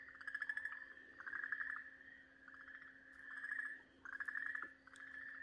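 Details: Okinawa green tree frog caught and being eaten by a garasuhibaa snake, 4 March 2023, giving repeated harsh, pulsed screams on a steady pitch, alternating with drawn-out whining tones; low electrical-like hum throughout.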